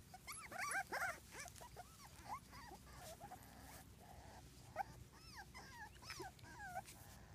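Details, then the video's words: Wheaten Terrier puppies on the move, a litter producing repeated high-pitched rising-and-falling whines and yelps, dense at first, then sparser after a quiet stretch, over faint background hiss. "wheaten terrier puppies"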